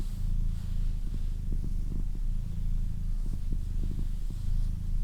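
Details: Close, deep purring from a female house cat, a continuous throbbing rumble broken into cycles of roughly one second, with light ticking sounds and almost no other noise.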